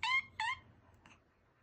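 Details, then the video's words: A cat gives two short, bright, harmonic calls in quick succession, about a third of a second apart, followed by a fainter, shorter third call in an otherwise quiet room. "Car alarm cat"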